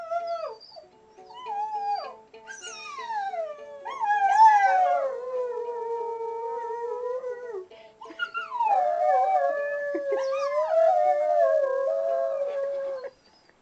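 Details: Dog singing, howling along while a ukulele is played. Long, wavering howls rise and fall in pitch in two extended phrases, separated by a short pause near the middle. Steady ukulele notes sound underneath.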